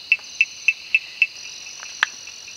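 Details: Malabar gliding frogs (Rhacophorus malabaricus) in the Western Ghats during the monsoon give a quick series of sharp, tapping clicks over a steady insect drone.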